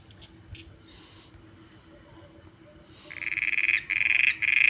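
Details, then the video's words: At night, a frog starts up after a quiet stretch with faint distant calls, then bursts into loud, rapid pulsed croaks in short repeated runs near the end. "mendak voice frog 🐸 sounds at night"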